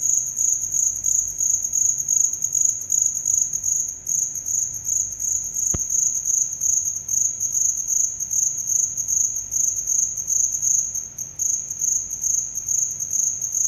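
A cricket keeps up a high, steady, rapidly pulsing trill, broken only by one sharp click.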